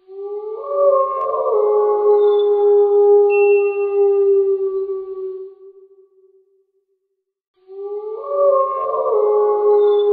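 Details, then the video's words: Howl of a wild wolf, one drawn-out smooth tone rising briefly at the start, held for around five seconds and tapering away, followed by silence and the start of another howl. "Wolf Howl Sounds"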